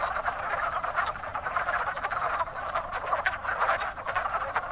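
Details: Breeding wood frogs at a busy spring pond, many short raspy clucks layered into a thick, unbroken chorus with no other clear sounds.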